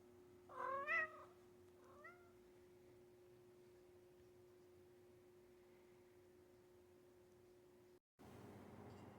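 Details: American shorthair tuxedo cat, adopted in January 2025, yawning and sleepy indoors: a brief wavering, rising-falling meow-yawn near the start, then a short softer chirp-like mew, followed by steady quiet room hum.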